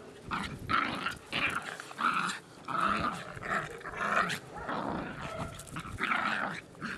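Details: Indoor pet dogs growling in repeated gruff, pulsing bursts, about one every second or so with varying length, loud and close in a small room.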